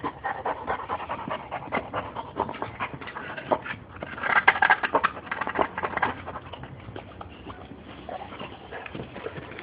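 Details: Playing female Boxer breathing hard in fast panting huffs, with a louder rough burst of breath near the middle, then quieter panting to the end.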